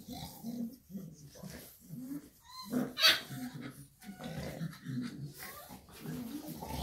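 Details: Mother Shar Pei and her puppies: rhythmic low grunting bursts about twice a second, a couple of thin rising whines, and one brief high squeal in the middle.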